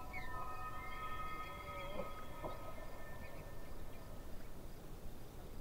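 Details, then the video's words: Distant elk by a lake, giving a long, steady whistled call with stacked harmonics that lasts about three and a half seconds over a constant low rumble of outdoor noise and a faint, even insect hiss. "Distant Elk - Relaxing Soundscape"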